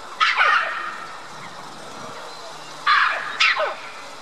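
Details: Red-capped mangabey in a tall tree in the mixed mangabey and gorilla habitat at Dublin Zoo, calling to white-collared mangabeys across the lake; one loud falling bark, a gap, then two more in quick succession.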